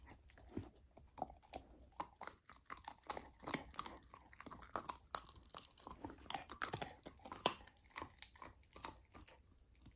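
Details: Young golden retriever trying raw lamb on a raw diet, chewing steadily in a small indoor room: dense, crisp crunches and moist smacking bites come almost continuously, with sharper snaps scattered throughout.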